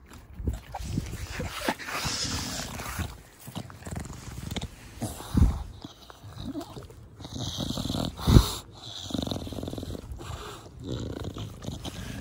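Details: Bulldog Da Vinci, a short-nosed pet dog, being petted in a garden; wheezy, snorting "fugo fugo" breaths roughly every few seconds, with two sharp loud snorts amid soft rustling.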